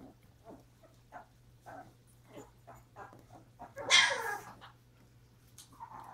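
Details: Mother dog Pepper with her puppies, January 30: quiet short whimpers repeat about every half second, then a louder, harsh, noisy burst breaks in midway before the soft calls return over a constant low hum.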